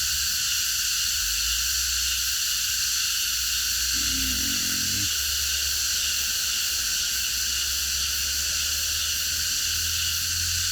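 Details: Massed cicadas singing at night in a park produce a constant, sizzling high drone. A brief low tonal sound intrudes for about a second near the middle, over a background low rumble.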